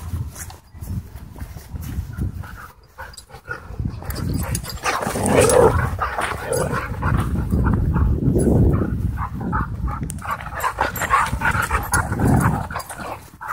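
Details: Wild play among dogs at a dog park: deep throaty growling swells in bursts from about four seconds onward, mixed with scuffles, huffs and rustling ground noise.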